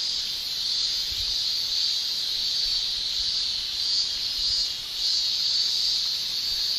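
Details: Continuous high, sizzling shrill of male cicadas singing with their tymbals during summer in Japan, a level wall of sound that swells slightly at moments.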